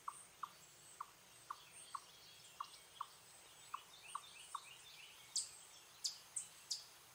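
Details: Eastern chipmunk giving an alarm or warning call: a steady series of short, sharp chips repeated about twice a second, ten in a row, fairly faint, with bird chirps overhead and a few louder high chirps near the end.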